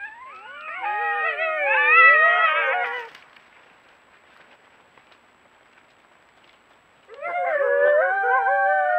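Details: A group of coyotes grow noisy after greeting each other and playing chase. Several voices overlap in wavering, quavering yips and high howls for about three seconds. After a quiet pause, another loud burst of tangled, warbling howls follows.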